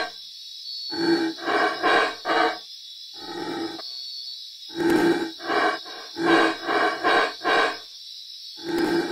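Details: A black howler monkey in Belize gives a deep, guttural roar of rhythmic grunting bursts, with a steady insect buzz behind.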